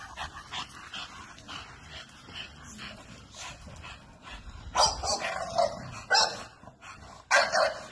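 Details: Barking from an American Bully: a quieter, busy stretch first, then three loud, harsh barks spaced about a second or more apart in the second half.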